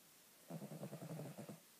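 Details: Tucker, a pet Cavalier King Charles Spaniel, snoring: one low, rattling breath about a second long, built from rapid buzzing pulses with harmonic overtones, against a quiet, still background.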